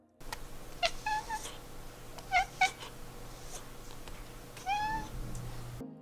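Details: A domestic cat at a window watching birds gives the "clickety chirp": quick, bright chirps mixed with repeated clicks, showing excitement and eagerness to hunt.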